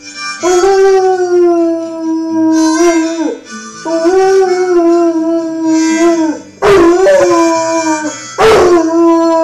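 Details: Rhodesian Ridgeback dog howling along to harmonica playing the song "Tiefes Leiden" by Joint Venture; long, sustained mournful tones that sag and bend at their ends, blending with steady harmonica chords and sharp breathy attacks.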